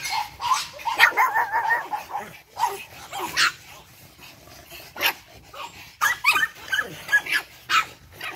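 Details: Energetic litter of eight-week-old Boston Terrier puppies yipping in quick, high, choppy bursts, several short barks tumbling together, then scattered single yelps after a brief lull; faint human voice in the background.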